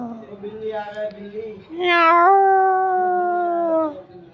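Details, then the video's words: Mother cat and kitten meowing: softer wavering tones at first, then one strong drawn-out meow opening with a quick rise and holding steady for about two seconds before fading. "Mom Cat kitten meowing little cat মিও মিও"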